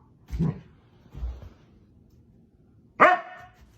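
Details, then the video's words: Husky dogs waking someone up: two short low, muffled woofs, then after a pause a loud, harmonic, abrupt bark-yelp that trails off; a quiet indoor room, with laughter following. "Husky Dogs wake you up #2 😮 Woof woof"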